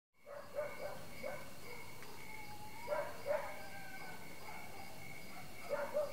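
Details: Frogs call in a chorus that includes barking crickets: short, hoarse, bark-like notes over a steady high-pitched trill.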